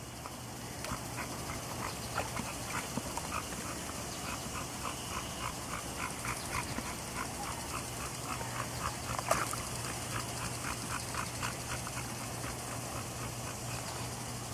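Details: Auggie, a pet dog, plays in his backyard pool on a hot day. Soft, quick whimpers repeat steadily, several per second, through the whole stretch under a constant low hum, with a person's coaxing voice nearby.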